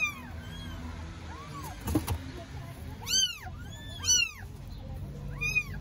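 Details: Hungry newborn kittens, strays in Istanbul, Turkey, meow for their mother cat. Sparse soft mews come first and a sharp clatter sounds midway. Loud, bright, arching cries then repeat about once a second, over steady low background noise.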